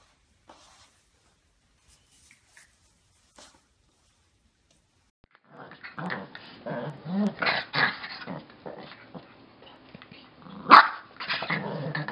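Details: Yorkshire Terrier puppies, tiny and fluffy: silence for five seconds, then a run of low growling and short yips, with one sharp bark near the end.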